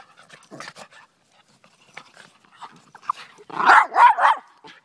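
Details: Daisy and Rose, Miniature Pinscher and Rat Terrier mix dogs, playing fetch: faint scattered noises and speech, then three loud, rough barks close together near the end.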